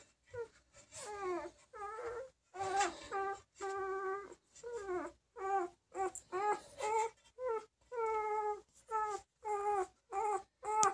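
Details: A female Bernese Mountain Dog puppy born March 5, 2023, whimpering in a steady series of high, wavering cries, each about half a second long and falling slightly at the end, repeated roughly twice a second.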